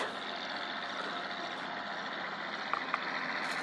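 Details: Steady broadband traffic and engine noise with two brief clicks near the end, and no animal voice anywhere.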